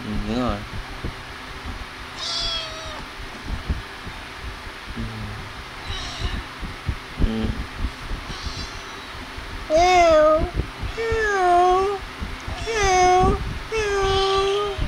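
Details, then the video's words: Playing, feeding kittens: scattered soft sounds and clicks early on, then a series of clear, bending meows close together in the second half. "Cute Kittens - Playing And Feeding"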